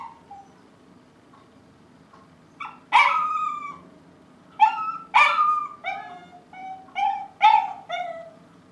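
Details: Dogs barking in the morning, recorded 5 September 2012; a soft whine, then loud, harsh barks in clusters, roughly one every two seconds, some yelping and rising.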